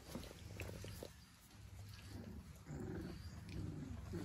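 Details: German Pinscher puppies, four weeks old, making low grumbling whimpers with harmonic bands in two short bursts in the second half, the first quieter and choppier, over a constant low electrical hum.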